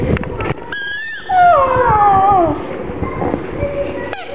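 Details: Gong Fu the black pug, sad for his little ball, gives overlapping high whines that rise, hold and droop over about two seconds, followed by fainter steady tones and low background noise.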